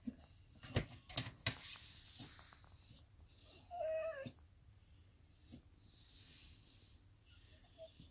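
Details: Ludvik, a Cesky terrier, grumbles to himself in displeasure: one short whiny, nasal murmur of about half a second near the middle, after several sharp clicks and taps in a quiet small room.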